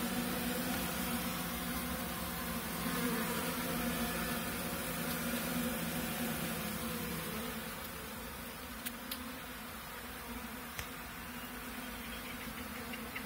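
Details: Honey bees left behind after their colony was moved into a five-frame nucleus box for a new queen hum steadily, a low, dense drone from many wings together.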